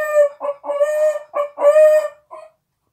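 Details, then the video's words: A Miniature Pinscher, crying because its owner went to the grocery store, howls in about five broken, wavering bursts over two and a half seconds, mid-pitched and cackling like a crowing rooster. "min pin howling like a chicken"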